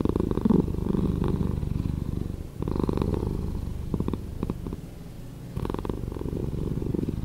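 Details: Slowed domestic cat purring, a low, vibrating rumble with audible rapid pulsing, fairly even in strength, dipping briefly around the middle and swelling again toward the end.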